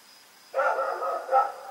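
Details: At night on Oct 7, 2018, Rex the dog, running around, lets out a drawn-out harmonic bark followed by a second shorter bark, with a faint constant high tone behind.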